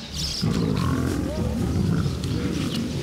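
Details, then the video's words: Lions of a pride fighting over food, with continuous deep rumbling growls and snarls layered from several animals, steady and loud throughout with scuffling noise. "Lion pride fights over food!"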